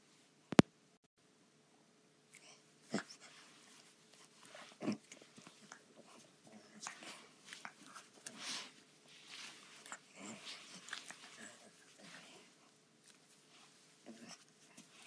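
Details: A female pug puppy snuffles and snorts softly in quick, breathy bursts, with a few sharp clicks and a faint hum.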